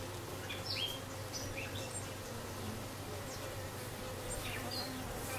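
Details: Newly arrived dark honey bee queen with her bees, dated 6/5/13: a continuous low droning buzz, with scattered high bird chirps.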